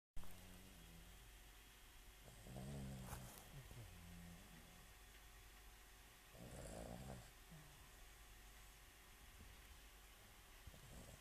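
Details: Réglisse, a pet dog, snoring: two low, rumbling, rasping snore bursts about four seconds apart, each lasting close to a second, over a faint steady background hum.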